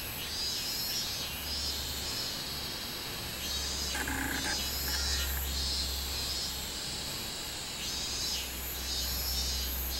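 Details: Minmin cicada singing on 24 July 2016: pulsed, high buzzing phrases about every half second over a steady high hiss, a brief lower call near four seconds, and a constant low hum underneath.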